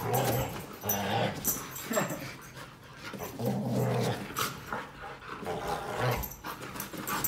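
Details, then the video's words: Two Siberian Huskies fighting over a new bed indoors: low rumbling growls swell and fade in bursts, with a person calling one dog to come. "Huskies Fight Over New Bed!"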